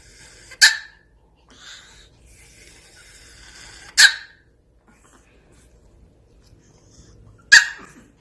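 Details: A mini Pomeranian puppy gives three sharp, high single barks spaced about three seconds apart, with quiet indoor background between them.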